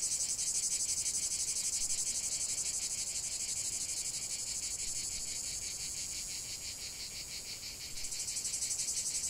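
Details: Cicadas singing in nature: a continuous, shrill, high-pitched buzz with fast regular pulsing, dipping slightly in the middle before surging back near the end.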